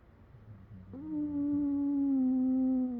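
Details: A rescued Patterdale Terrier taking a midday nap whines in his sleep: a long, low, steady whine that sags slightly in pitch.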